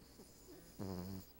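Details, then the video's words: Female Cavalier King Charles Spaniel asleep on the back of a couch, a Siamese cat napping beside her; one short, low, buzzy snore with a stacked, rattling tone near the end, otherwise a quiet indoor room. "my Cavalier King Charles Spaniel, snores!"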